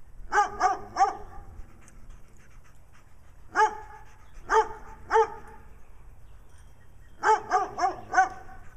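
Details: A brown dog barks in Wadena, Minnesota, as Stella, a dog marked with black eye patches, behaves nutty, the pair wanting attention; three rapid barks, then isolated single and paired barks, closing with a fast run of four.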